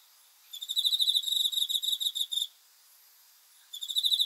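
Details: Night-time cricket song, a long run of fast, shrill pulsed chirps for about two seconds, then silence before a fresh burst of the same high trilling begins near the end.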